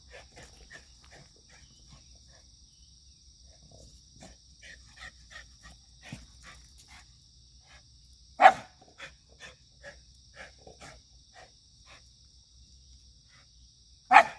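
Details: Energetic white Shiba Inu on 9 September 2024: mostly quiet rustling and light tapping, broken by two sharp, loud single barks about six seconds apart, with a constant high insect drone behind.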